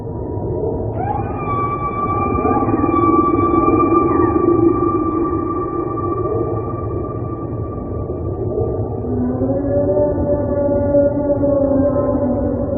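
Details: Whale calls heard underwater, long sustained tonal moans with steady high whistle-like bands and lower drifting tones, rising into wavering harmonic calls near the end, over a constant low ocean rumble.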